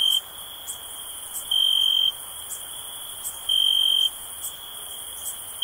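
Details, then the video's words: A cricket gives clear, even, high-pitched trilled bursts lasting around half a second, spaced about two seconds apart, above a continuous faint shrill drone and occasional light clicks. "Cricket Sounds for Sleep"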